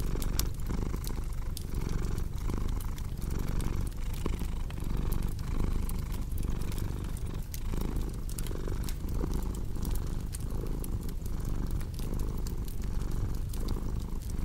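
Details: Cat purring with a crackling fireplace meant for sleep and relaxing; a continuous deep rumble pulses softly with breathing while frequent small snaps and pops of burning wood sound over it.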